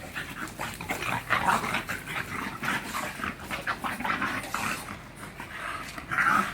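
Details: Hiccup the bulldog, exercising indoors, breathes in hoarse rhythmic snorts and short grunts, close and continuous, ending on a louder wheezy squeak.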